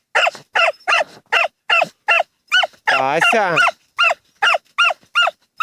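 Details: Dachshunds Tasya and Kessi digging in a field in autumn 2015. Short, high, harmonic barks repeat about two or three times a second. A brief human laugh breaks in midway.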